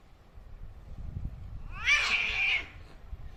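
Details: Angry cats fighting: after quiet low rumbling, a sudden harsh, raspy screech rises and holds for under a second before fading.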